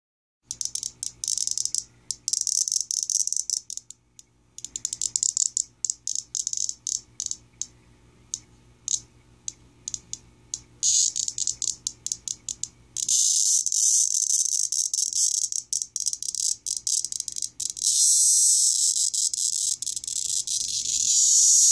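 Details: A male cicada, caught and held in the hand, gives harsh, high-pitched rattling bursts that merge into a continuous shrill buzz of distress.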